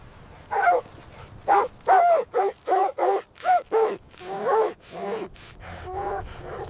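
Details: Puppies and their mother dog romping in white winter snow, giving a quick string of high yappy barks about twice a second, which fade into softer, breathier yips toward the end.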